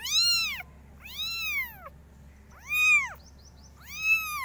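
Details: Loud kitten meows from a group of five, four clear arched cries roughly one per second, each rising then falling, with quiet gaps between.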